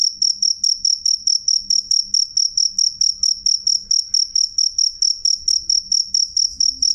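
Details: Sharp, ringing chirps from a cricket, loud and clear, high-pitched pulse groups repeating rapidly and regularly, about three per second, against a quiet low hum.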